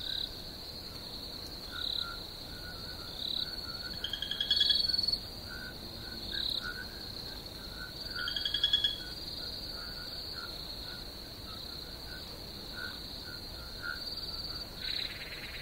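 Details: Crickets chirping as a night-time relaxation soundscape: an unbroken high-pitched trill drones on, broken by occasional brief louder bursts of rapid pulses and a few lower, faint notes in the background.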